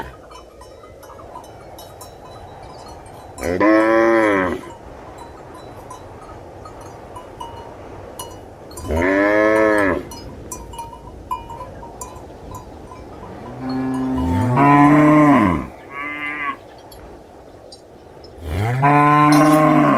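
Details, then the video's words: Cow moos come about every five seconds, each a full harmonic low that arches in pitch, two of them close together near the end. Faint bell-like ticking and a steady hum run throughout. "Realistic Cow Mooing Sound Effects"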